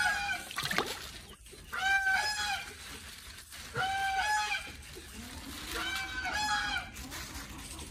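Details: A pet otter gives bursts of shrill, harmonic squealing calls, asking for fish after being petted.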